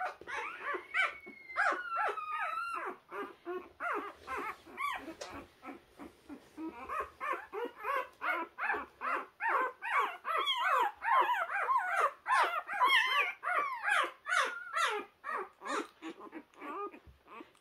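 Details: Young puppy finding its way, whimpering almost continuously in rapid, uneven yelps and thin whines, around two or three each second, building in intensity toward the middle.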